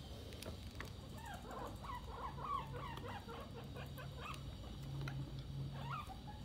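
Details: Guinea pig eating cookies: a rapid run of short, squeaky chirps rising and falling, clustered densely through the middle seconds, with a steady low hum underneath.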